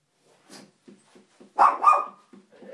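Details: Two dogs sitting on a window sill indoors; a couple of soft low huffs, then a loud bark with a tonal whine tail around the middle, followed by quieter grumbling sounds.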